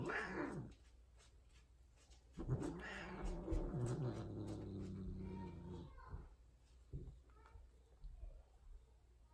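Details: Caterwauling from a tortie Persian female mating with a white, odd-eyed, extreme-face tom indoors: a short sharp cry, then a long harsh rising-and-falling wail of over three seconds, followed by brief lower grumbles.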